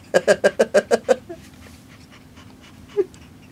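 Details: Pet cat panting like a dog after getting hyper and wearing himself out in play, seven quick rhythmic breathy pants in about a second, then quiet and one softer sound.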